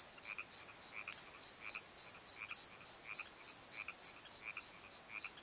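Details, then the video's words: At night in a valley bottom, crickets keep up a steady high rhythmic chirping, about three pulses each second, with softer lower croaks from other night callers in the background. "Crickets and Croaks! Pozo Night Tree"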